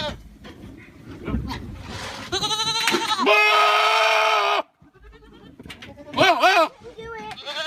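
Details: Goat screaming: a long, loud, strained harmonic cry lasting about two seconds, then a shorter wavering scream, with quieter rustling and murmuring between.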